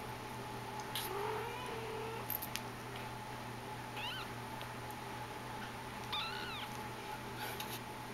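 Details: Persian kitten named Hiawatha, from the H litter, recorded 30 May 2010; two short, thin, high-pitched meows with arching harmonics about two seconds apart, plus a few soft clicks over a steady low electrical hum.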